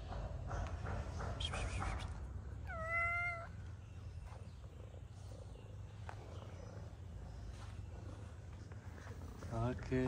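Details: A shy street tabby cat in Morocco, approaching people for food, gives one drawn-out harmonic meow lasting about a second, then a short rising meow at the end, over steady low background hum.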